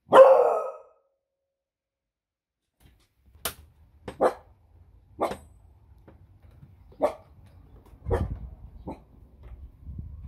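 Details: Female beagle, a pet, barking indoors on a speak command: one loud broad bark at the start, then a pause and a run of short, sharper barks spaced about a second apart, with low rumbling and a few soft clicks.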